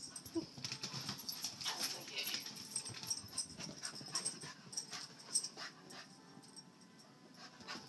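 A Cocker Spaniel gives soft whimpers among breathy, wheezing pants and snuffles.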